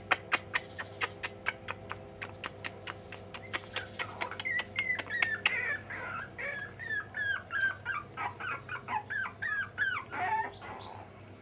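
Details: Jack Russell Terrier puppies, five and a half weeks old. A run of sharp, evenly spaced taps or clicks opens the clip, then dense overlapping squeaky whines and yips follow, each high cry wavering and falling, steady to the end.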